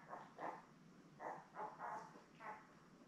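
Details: Newborn Labrador Retriever puppies beside their mother Belle, seven born May 24, 2021, on a puppy cam; six soft nasal squeaks spaced about half a second apart, over low room hiss.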